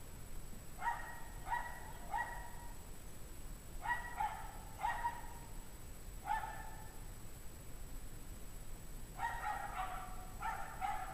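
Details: A pack of dogs barking in 17°F cold at 5 PM on January 9, 2009, possibly from stress or hunger; bursts of two or three quick barks repeated several times, with a quiet gap before a final overlapping cluster.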